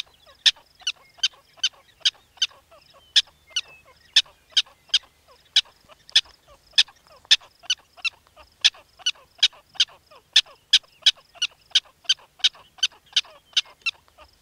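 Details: Black-tailed prairie dog calling in a rapid, even series of short, piercing chirp-like barks, about two to three per second, each bright and high-pitched, with faint softer notes between them.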